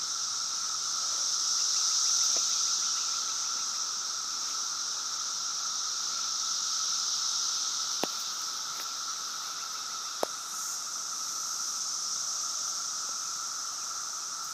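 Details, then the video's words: Cicadas massed in a backyard during the 2013 cicada invasion: a steady, dense buzzing drone with a high shimmering band and a lower tone beneath, unbroken for the whole stretch, with a few faint clicks of handling. "Cicada Invasion 2013"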